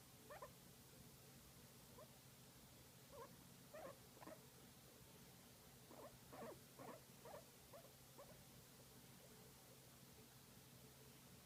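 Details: A guinea pig enjoying a massage gives soft, short squeaky chirps in loose, irregular bursts over a steady low hum.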